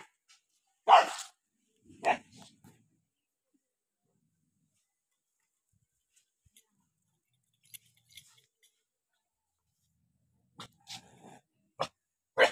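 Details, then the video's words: Angry dog barking while eating, shown as a few sharp separate barks: two early loud ones, then a long quiet gap with faint small noises, and a final burst of short barks near the end. "dog 🐕 eat with angry dog 🐕🐕 barking"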